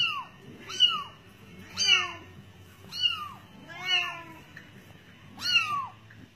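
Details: Bengal cat, filmed with kittens, giving five high, clear meows about a second apart, each a bright tone sliding downward, in a quiet indoor setting.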